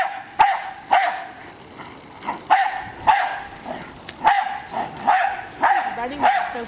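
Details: Pet Jack Russell Terrier bitch Hali attacking a remote controlled car, barking rapidly and repeatedly, about twice a second, in clipped, punchy barks, with faint human voice underneath.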